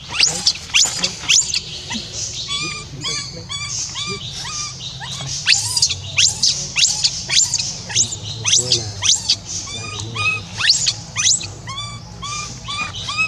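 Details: Rainbow, a young orphan monkey, keeps crying after being left alone, calling to be joined again: shrill, piercing squeals rapidly interleaved with short arched, harmonic-rich whimpers, nearly two cries per second, uneven in rhythm.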